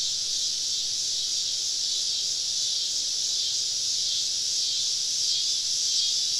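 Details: A southern summer evening chorus of cicadas heard while camping deep in the woods: continuous shrill buzzing hiss, thick and even, swelling gently in waves, with many callers surrounding the campers.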